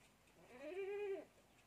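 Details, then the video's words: A single drawn-out bleat from a goat kid taking milk from a bottle, rising then level and falling away, strongly harmonic and lasting under a second. "anak kambing || minum susu botol"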